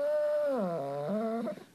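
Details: Pet German Shepherd refusing to leave the bed indoors: a single vocal moan that starts steady, dips lower in pitch, then climbs back up in a talkative, complaining whine before fading out.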